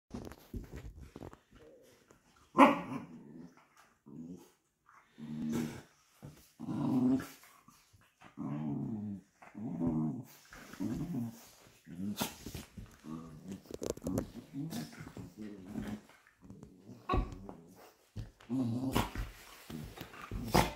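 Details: Two Patterdale Terriers, fell terriers named Obscura and Estacado, growling while play-fighting indoors; repeated low, rumbling growl bursts about half a second to a second long, with short pauses and occasional sharper snarls and scuffling thumps.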